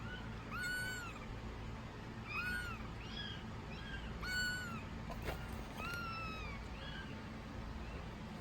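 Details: Kitten just over one week old, meowing before its milk feeding, recorded in 2019; thin, high, arched mews repeated about every one to two seconds, some louder than others, over a steady low background hum.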